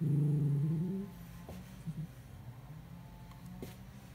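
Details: Miniature Schnauzer named Kurumi, wearing socks on slippery flooring, fights an empty chocolate ice bar box she loves; a low rumbling growl fills the first second, followed by quieter scuffling taps and faint movement.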